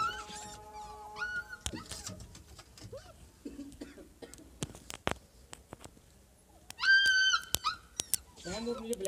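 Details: Siberian Husky puppies in Lahore, Pakistan, let out brief high whines and a louder, longer yelping whimper near the end, among sharp clicks, thumps and people talking.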